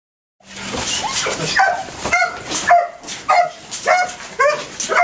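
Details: Male Belgian Malinois detection dog in training giving a run of short, sharp barks, some breaking into high yips, about two per second and unevenly spaced.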